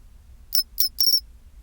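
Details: At 24°C a pine cricket sings one chinchirorin phrase: two brief bell-like high chirps and a longer rolling trill, clean against a faint low hum.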